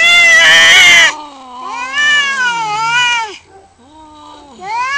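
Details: Two male domestic cats fighting for territory outside a house; a harsh, loud screech opens, then drawn-out wailing yowls that bend up and down in pitch, overlapping low and high voices, with brief pauses.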